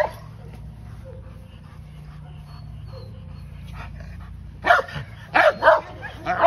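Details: Female English Mastiff during her first training session, a low steady hum for several seconds, then three or four loud, short barks near the end, with a handler's praise spoken nearby.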